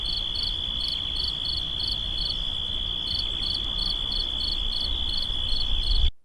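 Cricket chirping in quick, high pulses, about four a second, over a steady high ringing trill, with a low rumbling background.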